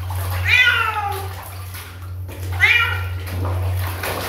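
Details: Kitten meowing twice, each a clear, bright, slightly falling meow about two seconds apart, over a steady low hum.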